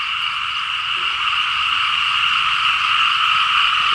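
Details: Rainy-season frog chorus over paddy fields in Laos where farmers plough and plant rice, countless frogs croaking rapidly in an unbroken, even drone.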